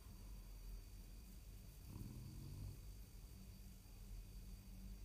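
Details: French bulldog snoring while asleep at nap time: one deep, rumbling snore swells midway through, surrounded by quieter, steady low breathing rumbles.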